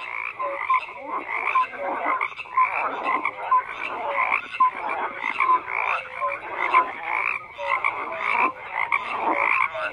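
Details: Frogs croaking, a thick chorus of pulsed rasping calls with short clear tones repeating roughly every second among the overlapping voices.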